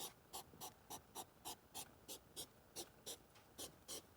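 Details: Hedgehogs during the August 2023 mating season: quick breathy puffs, hissing and snort-like, repeated steadily about three times a second throughout, each a short broadband burst, over a quiet background.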